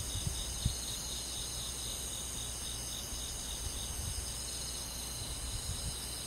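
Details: Crickets and other insects on a summer night in a countryside forest, a steady shrill chorus of several layered high-pitched trilling bands held without pause, over a soft low rumble with a few faint knocks.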